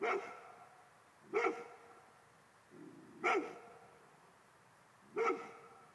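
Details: Golden Retriever, said to hate ghosts, barking at them: four sharp, loud barks spaced about two seconds apart, with softer muffled woofs between them in a quiet room.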